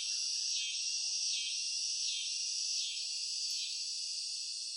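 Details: A continuous high, hissing cicada drone rises and falls in gentle surges about once a second, with little else heard.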